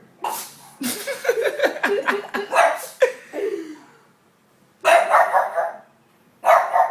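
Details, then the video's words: A pug barks at a window, giving a run of short, husky barks broken by reverse-sneeze snorts immediately afterwards, with some human laughter. "This dog cannot bark without sneezing LOL"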